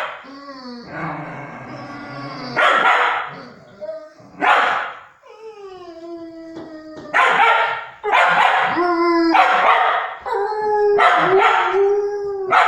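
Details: Fox Terrier, nine months old, telling off a young Dogo Argentino that had run away from home: drawn-out whines sliding downward in pitch, broken by sharp, rough barks that grow denser and louder in the second half.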